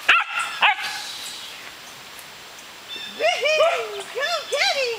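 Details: Pyrenean Shepherds at frisbee play, a six-month-old brindle female named Cookie and her fawn father Gabizos: two sharp high yips open, then after a quiet gap a quick run of arched, ringing barks and yelps.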